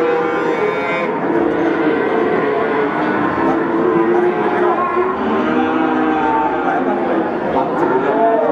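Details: Young male Peranakan Ongole cattle offered for sale at Pasar Pon market, Ambarawa, Central Java, call in a constant overlapping chorus of wavering moos. Crowd chatter and general market noise run underneath.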